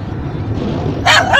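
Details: A Yorkshire terrier in a car angrily barks at the moving windscreen wipers, giving two sharp, high yapping barks over a low engine rumble.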